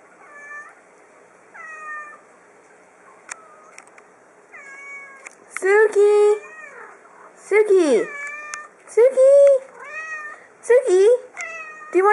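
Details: Small three-year-old female house cat meowing repeatedly during a game of fetch with a ball: a string of about ten meows, early ones soft and level, later ones loud, wavering and falling, while a woman talks to her.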